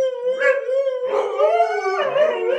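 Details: Siberian Husky at home answers an owner asking about a mess with a talkative howl: a steady tonal note interrupted by rough, grumbly bursts, rising and falling like speech-like 'talking'.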